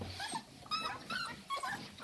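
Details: Six-week-old Staffordshire Bull Terrier puppies of the 54th litter at Staffordland, recorded 11 December 2023, give thin high whimpers and yips in three or four short wavering bursts, with quiet French speech nearby.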